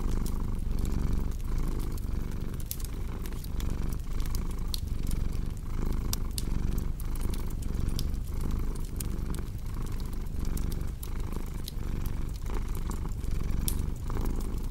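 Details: Steady rumbling purr of a domestic cat, its breathing cycles repeating evenly under a constant patter of fireplace crackles and pops.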